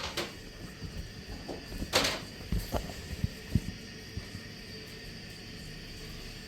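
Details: Indoor knocks and sliding, door-like thumps over a steady room hiss.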